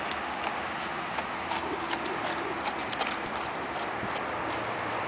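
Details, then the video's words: Hoofbeats of an Arabian horse working in a figure eight, faint uneven thuds about eighty per minute amid constant hissy background noise. "Cavalo Arabe trabalhando em 8 Arabian Horse"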